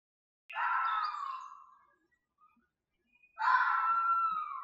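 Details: Red fox screaming: two long, drawn-out wailing cries, each starting high and strident then sliding gradually downward in pitch before fading. A quiet gap of about a second and a half separates them.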